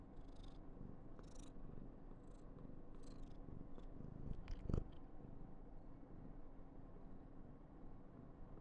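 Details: Affectionate female Somali cat purring indoors in a continuous low, even drone, broken by brief soft rustling and one short louder tap near the middle.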